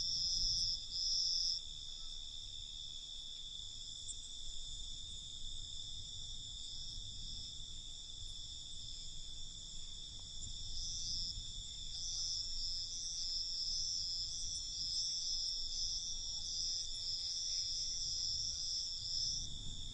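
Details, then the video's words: Nighttime cricket chorus: unbroken high-pitched trilling that wavers gently and grows a little brighter toward the end, over a faint low background rumble. "Night Cricket Sound"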